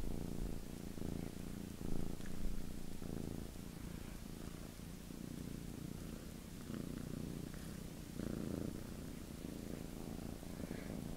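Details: Indoors, two pet cats licking and washing each other's faces while one purrs, a low, throbbing rumble pulsing steadily on each breath, with light rustles and distant electronic game noises.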